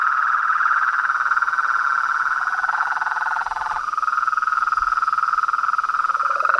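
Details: Chorus of frogs, toads and treefrogs: a continuous buzzy, pulsed trill holding one mid pitch, briefly dipping lower near the middle and again at the end, over a steady high-pitched hiss.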